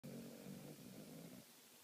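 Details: Dog snoring indoors: one low, rough, rumbling breath lasting about a second and a half, fading at the end, in a quiet small room.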